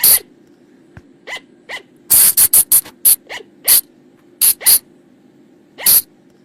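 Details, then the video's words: Flying lemur, known in Thai as bang pa, phung chong or pha chong, in a lure call used at night: sharp, harsh shrieks in scattered bursts, a rapid cluster of five in the middle, with fainter rising squeals between, over a steady low hum. "เสียงต่อบ่างป่า หรือพุงจง,พะจง flying lemur sound"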